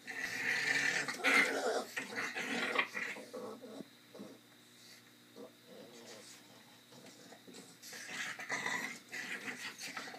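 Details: Dog growling during play time: loud raspy growls in the opening three seconds, then a quieter stretch of soft panting and shuffling, before rougher growling bursts return near the end.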